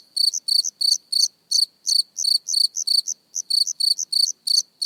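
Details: Cricket heard close up with a rapid series of shrill, buzzy chirps, each a tight cluster of pulses, coming roughly three per second with an uneven spacing and overlapping fainter chirps throughout.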